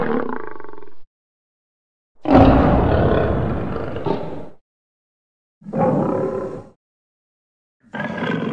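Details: Lion roaring in a series of separate bursts, each a deep, rough, broad roar lasting one to two seconds with silent gaps between, edited together as a sound collection.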